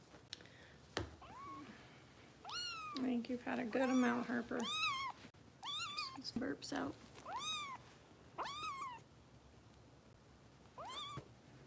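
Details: Foster kitten Harper at a Los Angeles kitten rescue during bottle feeding, on a live cat cam: high, arching meows rising then falling, repeated about every one to two seconds, with a person talking softly in between.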